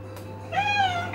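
A Maine Coon cat gives a single clear meow that rises and then falls away.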